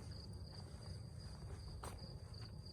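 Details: Crickets singing at night in a hushed town square in Tavira, Portugal, on a work night: a thin, high, nearly continuous trill with a few brief gaps, a soft low hum underneath and a short clatter midway.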